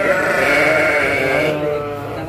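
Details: Crossbred sheep in a pen on a farm in Bangorejo, Banyuwangi, Indonesia, where goats are also kept; a single long, loud, wavering bleat fading after about a second and a half, with faint speech behind.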